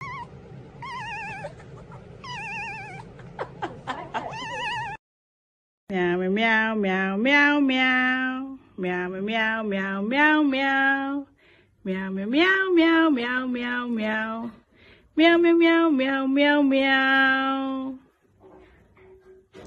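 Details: House cat yowling in long, drawn-out, wavering cries, each about a second or more, some bending upward in pitch, five or six in a row after a brief opening of muffled noise and squeaks.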